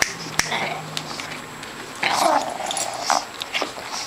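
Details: Pug puppies playing tug of war indoors, giving short rough growling bursts around the middle of the recording, with people speaking quietly in the background.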